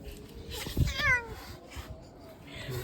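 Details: Angry house cat in attack mode gives one short, rising-falling meow amid rustling and handling noise indoors, with muffled human voice nearby.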